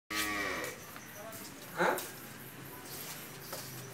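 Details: Friesian dairy cow at four-tooth age, recently calved for the second time with a bull calf, giving 27 to 28 litres of milk daily; a short, deep harmonic moo opens and fades within a second, followed by a brief sharp knock.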